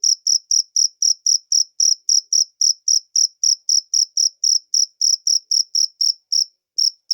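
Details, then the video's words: Wild cricket calling in natural surroundings: sharp, high chirps repeated steadily about three to four times a second, an even pulsing train with a brief gap near the end. "suara jangkrik alam"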